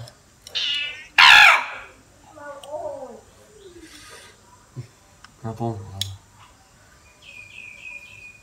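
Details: Cat from Cambodia meowing: a quick high meow followed by a loud strained one, then softer wavering mews, with excited human voices talking over it.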